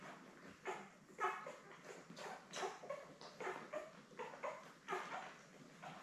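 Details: Litter of seven newborn Labrador puppies, born May 24, 2021 and kept indoors with mother Belle, calls in brief whiny squeaks, roughly two each second, some overlapping, against quiet background hiss.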